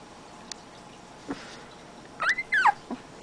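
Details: Siberian husky puppy from a 2010 litter, letting out a quick run of high, rising-and-falling whimpers and yips near the end after a mostly quiet stretch with faint taps.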